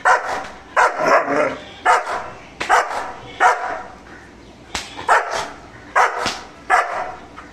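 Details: German Shepherd Mr. Bro on guard, barking aggressively: about ten loud, harsh barks in steady succession, roughly one every three-quarters of a second, with quiet gaps between.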